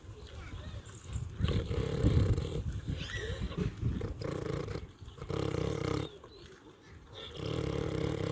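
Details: A domestic pig (Sus domesticus), on a farm and eating, gives deep, rough grunts and snoring snorts, low and rumbling, with some background noise.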